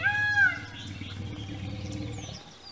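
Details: Rescued elephants at the Elephant Rehabilitation Center: a brief high, harmonic squeak in the first half second over a steady, deep low rumble that holds for over two seconds, with faint bird chirps near the end.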